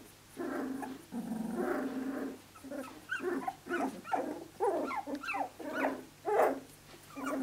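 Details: Playing Australian Shepherd pups aged 17 days, giving sustained low puppy growls followed by a run of choppy, rising whimpers and squeals at roughly half-second intervals.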